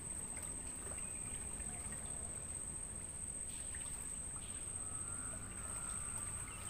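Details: Crickets from a natural mangrove forest, recorded as training audio for songbirds. Only a continuous piercing high trill is heard, unvarying from start to finish, above a soft low rumble of ambient noise.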